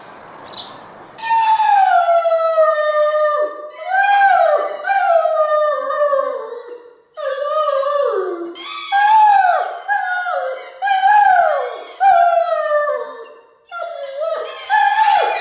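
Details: Domestic dog howling indoors, a string of long wavering tones that slide downward at the end of each phrase, roughly seven phrases separated by brief breaths, with no other sounds.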